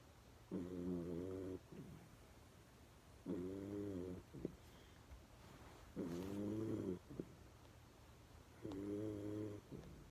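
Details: Sleeping pet dog, eyes half-open, gives rather loud snores: four drawn-out, rattling nasal breaths about a second long, evenly spaced roughly every two and a half seconds, with soft breathing between in a quiet room.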